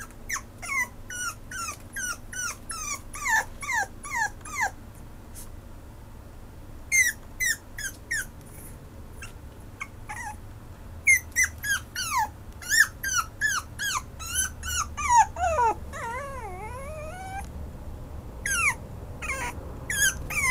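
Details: Maltipoo whimpering insistently: dense runs of sharp, high, descending whines, one long wavering drawn-out whine in the middle, then more clipped cries, over faint low hum.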